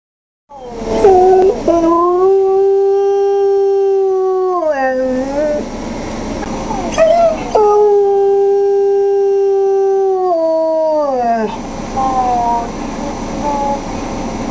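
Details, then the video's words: Kya, a 4-year-old female wolfdog, howls at home after hearing her hospitalised owner on speaker phone, missing her; two long, steady, mournful howls, each holding level then sliding downward, with a few short wavering notes between and after. "Kya The Wolfdog In: The Howling Part II"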